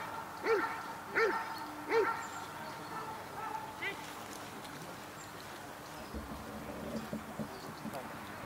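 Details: Dog Cobra van de Amorhoeve during the protection phase of the NIK 2016 dog sport trial: three sharp, rising-falling barks about 0.7 seconds apart, then fainter scattered sounds against steady background noise.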